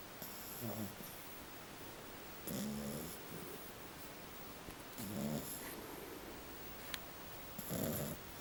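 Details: Little female French Bulldog asleep and snoring, described as normal and common for her; four rasping, throaty snores with airy hiss, one roughly every two and a half seconds, in a quiet indoor room.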